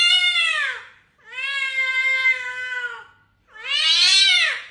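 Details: Cat meowing indoors, offered as a sound to attract cats: three drawn-out, harmonic-rich meows, the first and last sliding downward, the middle one long and level, separated by brief silences.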